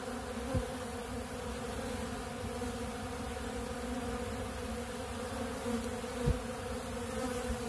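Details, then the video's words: Many honeybees feeding on ultra bee pollen at a big blue pollen feeder: a steady, dense swarm hum with a low drone and layered mid tones, and two brief soft clicks. "Therapeutic Treatment Sounds Of The Honeybees"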